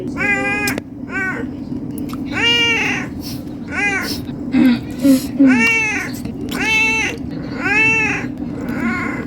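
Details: Hungry domestic cat meowing to ask for food: a rapid series of about eight loud, arching, harmonic meows, roughly one per second, some rising then falling in pitch, over a steady low electrical hum with faint chirps in the background.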